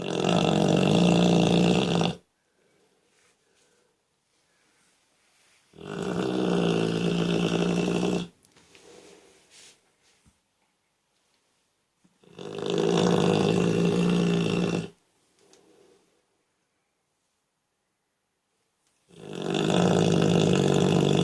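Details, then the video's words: Dog fast asleep after tiring itself out running around, recording from Moscow; loud, rasping, broadband snores about two to three seconds long, each followed by a few seconds of near silence, repeating roughly every six and a half seconds indoors. "Пес храпит, как пьяный мужик."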